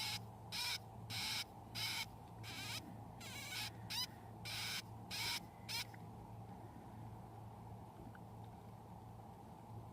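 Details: One-week-old pet hamster pups, part of a litter of eleven nursed by mother Yuki, give a run of high, bending squeaks about twice a second while feeding, then fall quiet, leaving only a low steady hum.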